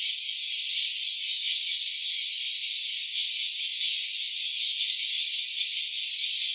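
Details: A cicada's call captured in stereo with an OPPO Reno A phone: an intense, unbroken high-pitched rasping drone, pulsing unevenly, steady in loudness throughout, with no other sounds.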